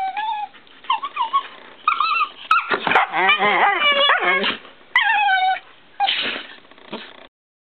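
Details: Playful whimpers from a Shiba Inu and a Siberian Husky under a kiddy bed: short bent whines, then a burst of rapid wavering yowls, then more scattered squeals, ending in silence.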